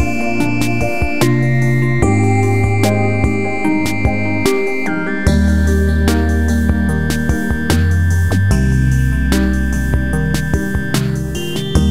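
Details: Ambient instrumental music with sustained tones and percussive hits plays throughout, and no animal voice is heard.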